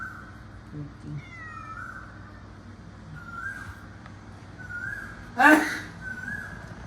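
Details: Murphy, a male pet cat indoors, protests when someone sneezes: several thin, drawn-out mews, faint and evenly pitched, come about once a second, a loud human sneeze bursts out midway, then the mewing resumes.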